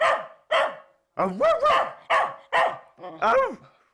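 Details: Year-old Bedlington Terrier barking: six sharp, harmonic barks with rising-falling pitch, spaced about half a second apart, some yelpy and whooping.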